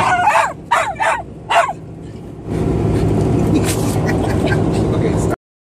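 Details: Patterdale Terrier Tatonka, a female, searching for a ball she has lodged behind the trim in a car. Four short, sharp, high yelps come in quick succession over the first two seconds, followed by steady rumbling noise.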